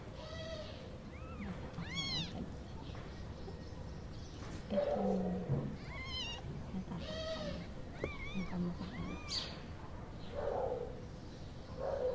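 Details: Mother cat nursing her one-week-old kittens; several rising-falling high mewing cries, some squeaky and arched, mixed with lower short murmurs, irregularly spaced over the recording, with a faint background hum.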